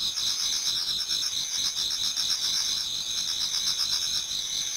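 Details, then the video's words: Autumn insect chorus toward dawn in a Japanese garden. Numerous insects produce a continuous, very high shrill trilling. Fainter lower chirps pulse irregularly beneath, and the whole sound stays at an even loudness. "Autumn Insects voice Towards dawn"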